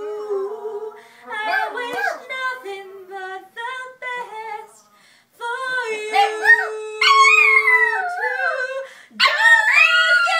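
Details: Pet Chihuahua named Chloe singing along to an Adele song indoors: wavering, sliding high howls in bursts with short pauses, woven over a woman's steady sung notes from the music.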